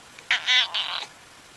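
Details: Domestic cat making an odd, strained vocal sound: a short harsh burst followed by a longer harmonic-rich nasal cry and a trailing rougher segment, all within about a second; no other sounds.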